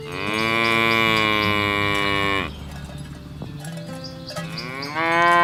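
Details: Cattle herded to their pen through a rice field ditch in the countryside; a loud sustained moo of about two and a half seconds, a quieter pause, then another moo starting, with a clanking cowbell.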